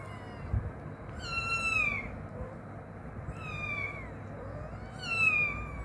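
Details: Cat meowing indoors, three drawn-out falling meows about two seconds apart over a steady background hum, with people speaking Bengali nearby.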